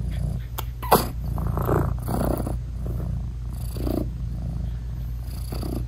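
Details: British Shorthair mother cat purring and softly vocalizing to her tiny newborn kittens while nursing them: a continuous low rumbling purr with a sharp click and several brief, muffled chirping sounds scattered through it.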